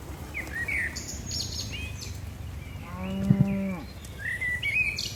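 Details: Herd of tame cattle descending a hillside on a mountain slope; one soft, low moo lasting about a second rises and falls midway, while chirping birds call before and after it over a steady low rumble.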